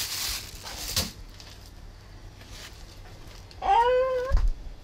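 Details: Stray domestic cats fed by a 91-year-old haenyeo grandmother as she cooks meat for them; one clear drawn-out meow near the end, rising then falling, after brief clattering kitchen noises and a quiet room.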